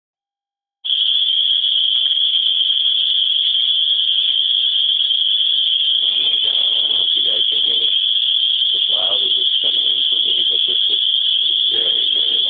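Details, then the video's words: Cicadas in Griffith, Indiana, locally called swamp bugs, so loud they drown out speech: a steady, piercing high buzz that runs unbroken throughout, with a man's voice faintly audible underneath partway through. "Cicadas of Griffith Indiana (swamp bugs) so loud you can not hear me speak"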